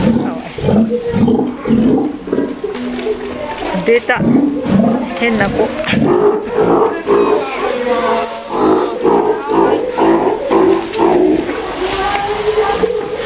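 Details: Captive one-year-old Steller sea lion at an aquarium in Ise, Japan: a long run of hoarse, low growling roars in quick uneven bursts, with occasional high whistle-like squeaks and a few voices in the room.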